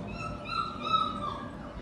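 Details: Male show-quality Shih Tzu puppy, 38 days old, in Gurugram, India, gives a thin, steady high whine lasting about a second, gently wavering, over low background hum.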